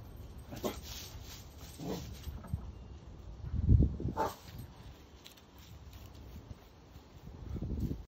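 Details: A corgi protecting its yard gives a few short, sharp barks spaced over several seconds, warning off a squirrel.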